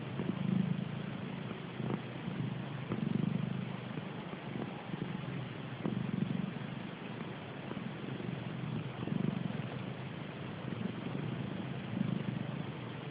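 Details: Sleeping cat snoring: soft, low rumbling breaths recur roughly every three seconds over a steady background hiss.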